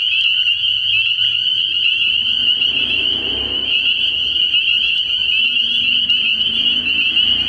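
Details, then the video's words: Night chorus of spring peepers at a frog pond early in the year: countless shrill, high peeps merge into one continuous ringing wall, with a soft low rumble mid-clip. "Relaxing Tree Frog Sounds"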